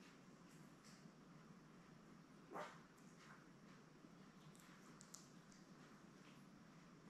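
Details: Labrador Retriever litter of seven newborn puppies, born May 24, 2021, with their mother Belle, on an indoor puppy cam; one short sharp yip near the middle, then faint high squeaks over a steady low hum.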